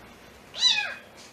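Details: A stray grey kitten on its second day in a new home, hiding under shelves and sometimes hissing, gives a single high, thin meow that rises and then falls away.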